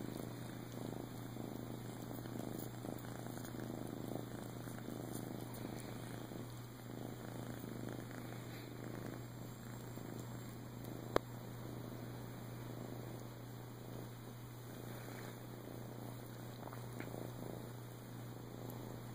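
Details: Rescued male flame tip Siamese, adopted in Clearwater, Florida in 2014, purring softly and continuously. The low throbbing rumble holds steady, with a single sharp click near the middle.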